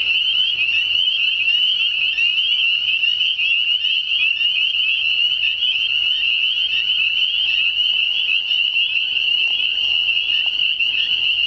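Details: Spring chorus of frogs, including spring peepers, calling unseen from a distance: a dense, continuous high shrill band of overlapping peeps and trills with no pause throughout.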